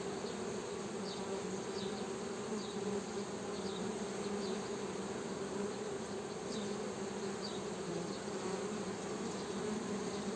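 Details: Continuous low humming of honey bees, an even buzzing drone that never breaks, with faint repeated high chirps in the background.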